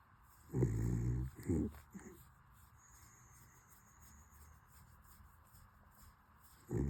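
A corgi puppy snores in low, rumbling bursts, several close together, then quiet hiss before another snort.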